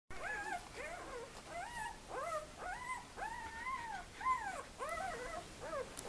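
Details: Two-day-old puppies from a French kennel litter, indoors, giving repeated high whining squeals, arched rising-then-falling cries about two per second, overlapping voices of several pups, quiet room background.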